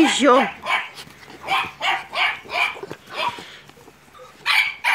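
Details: Staffordshire Bull Terrier and American Staffordshire Terrier puppies at Terierkowo on 30 July 2017 give short, high yipping barks in uneven bursts, with a woman's Polish voice calling to them at the start.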